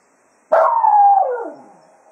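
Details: Jack Russell Terrier Cato serenades the hounds after a day of foxhunting at Quail Roost, a single loud drawn-out howl-like cry holding steady for about a second before sliding down and fading.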